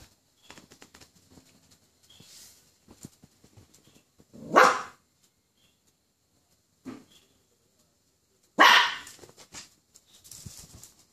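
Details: Poodle alarmed by a toy poodle barks twice, loud and abrupt, about four seconds apart, with a softer short yap between them and faint shuffling in a small room.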